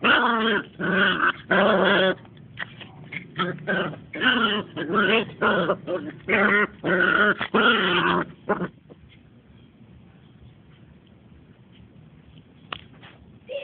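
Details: Playful two-month-old Smooth Fox Terriers growl and yip almost continuously for about eight seconds, with bursts of wavering, nasal grumbles coming roughly every second, then the scuffling goes quiet with only faint sounds afterward.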